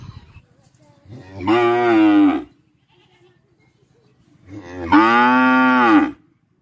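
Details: Cow lowing twice, each moo a harmonic-rich tone about a second long with a slight rise then fall in pitch, separated by a quiet pause of roughly two seconds.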